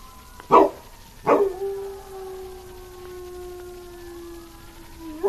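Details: As a fire truck passes, a dog gives two sharp yelps and then a long, level, sustained howl lasting about four seconds. The siren's wavering tones run above it.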